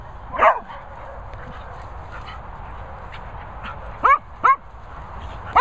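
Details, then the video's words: Cocker Spaniel Daisy telling off fellow Cocker Spaniel Finlay Foxall: a few short, sharp barks, one early and three spaced near the end, over a low, steady background rumble. "Cocker Spaniel Finlay Foxall gets a telling off from Cocker DARLING Daisy."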